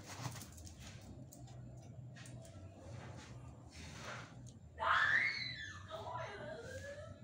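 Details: Chihuahuas, pet dogs, playing at home indoors: after about five seconds of soft rustling, a sudden loud high yelp slides downward, then trails off into softer wavering whimpers over the last two seconds.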